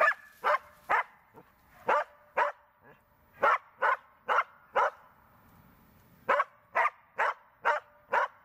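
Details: Tara the Border Collie, training for search and rescue, barks in quick clusters separated by a short lull, while a handler calls out praise and questions in Croatian.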